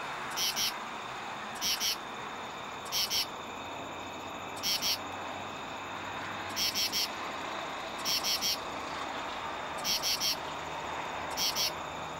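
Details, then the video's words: A male common true katydid, calling for females at night in a tree by a highway exit ramp, gives raspy two- and three-pulsed 'katy-did' bursts, repeated every second or so. "Common True Katydid (Pterophylla camellifolia)"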